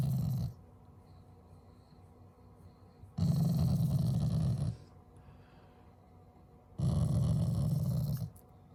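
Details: Affectionate Shiba Inu growl, not angry, from a loving family dog: low, breathy rumbles coming in three bursts of one to two seconds, with near-silent gaps between them.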